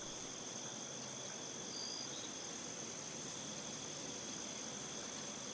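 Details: Crickets in a wheat field: a dense, continuous high-pitched chorus of steady shrill trilling tones, unbroken throughout, over a broad hiss of field ambience, with one brief brighter chirp near the middle.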